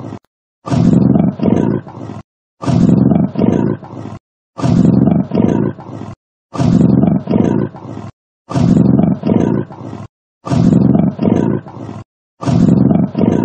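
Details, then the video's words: Heavy, rhythmic breathing of a big cat: low, grainy double huffs recurring roughly every two seconds with dead-quiet pauses, no background sounds. "맹수의 숨 소리, 맹수의 숨소리가 궁금할 때"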